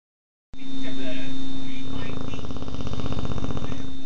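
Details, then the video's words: Lily Lou, an American Bulldog, snoring loudly, recorded on an Android phone: a rough, rattling low drone that thickens into a steady vibrating snore through the second half, over a constant electrical hum. "Lily Lou the American Bulldog snoring loud"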